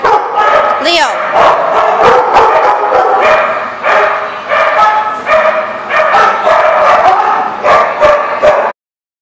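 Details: Several dogs barking in a dense, continuous chorus of short overlapping barks, with a rising whine near the start; the sound cuts off abruptly at the end.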